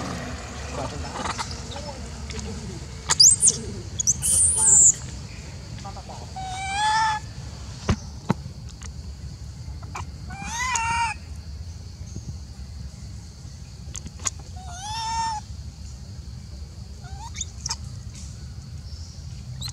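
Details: Jealous and upset, the macaque Elpida, a golden female in the Maha Nokor group, calls while old female Susie is fed: a series of wavering harmonic squeals spaced a few seconds apart, with occasional sharp clicks and a steady low hum.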